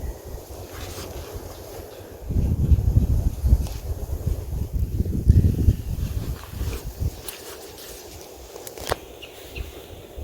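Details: Only low wind rumble buffeting the microphone is heard, with a few faint clicks and no clear animal voice.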